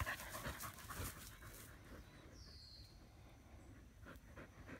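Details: Australian Shepherds resting in the shade under a willow tree; one pants in quick, breathy bursts, roughly two or three per second.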